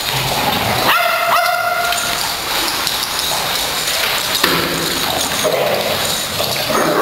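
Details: Eager-to-play pet dogs, 3/3/08: a single high, tonal whining yip lasting about a second, followed by a faint click, all under continuous background hiss.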